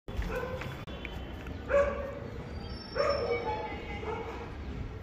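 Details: Tibetan Mastiff barking, three deep, evenly spaced barks about a second apart with rich harmonics, over a steady background hiss.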